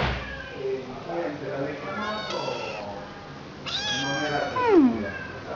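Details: Cat meowing in drawn-out, wavering calls that rise and then slide down, the loudest near the end, while a person talks softly in Spanish in the background.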